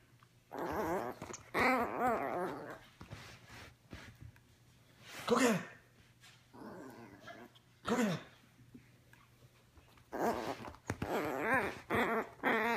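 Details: A teacup Yorkshire Terrier puppy named Ricci, playing with his ball, gives short wavering whines and grumbling yelps in separate bursts, with gaps of quiet and scattered clicks and knocks between them.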